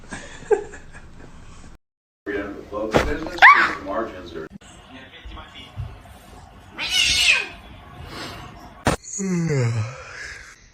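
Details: Fighting house cats give rising, strained yowls and a hoarse, sliding cry near the end, mixed with people talking and scattered household noise.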